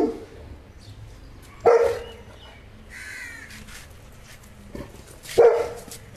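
A Saint Bernard gives two loud, deep single barks, several seconds apart.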